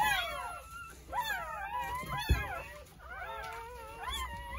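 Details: Fainter cries of newborn Jindo puppies, part of nine born on New Year's Day at a rural home: high, curving squeaks and whimpers in short overlapping bursts, with a low bump midway.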